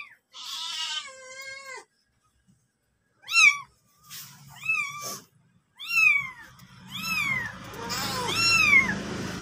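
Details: Mother cat with her kitten: high, arching meows with rich harmonics, a long one first and then about five shorter ones in quick succession, a soft low rumble under the later calls.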